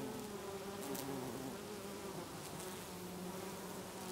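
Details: Many bees buzz in lavender in a garden in Brittany in August, a steady, low droning hum that wavers slightly in pitch as they move.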